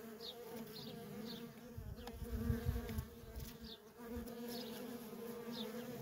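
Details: Worker honey bees at a feral colony keep up a continuous buzzing drone, with a brief low rumble midway. Short, high bird chirps sound every second or so.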